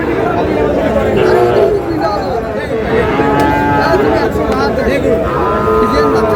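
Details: Mooing of Sahiwal bull calves at a market where a farmer from Noakhali buys cattle on 18 June: long tonal lows come one after another, some rising at the end, over constant human chatter.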